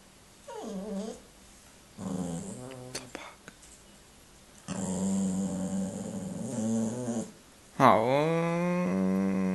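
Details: Indy, a pet dog who wants to play after a meal instead of resting, vocalizes in drawn-out, wavering growl-whines with rising and falling pitch, in several bursts separated by short pauses, ending in a loud rising howl-like moan.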